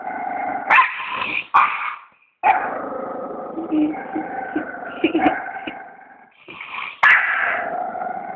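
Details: A dog vocalizes continuously in a harmonic, moaning growl. Pitch shifts up and down, and crisp onsets and a near-silent pause split the sound into uneven segments.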